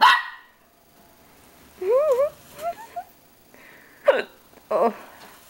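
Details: Pet dog Pippin at a mirror, barking at himself: one loud bark at the start, then wavering, warbling whine-like tones and a couple of short, rough yelps.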